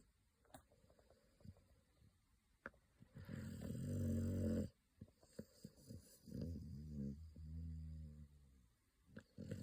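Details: American Pit Bull Terrier puppy asleep with its eyes rolled back, snoring: rough, buzzing snores with a droning, humming tone, one long loud snore then a softer uneven one, between faint clicks and rustles.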